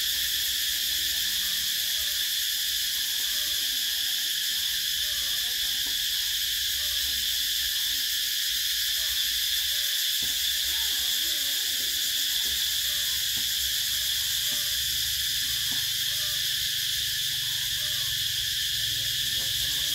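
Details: A steady, piercing shrill of summer cicadas in Vietnam, many insects merging into one constant metallic buzz with no breaks, over a faint low hum.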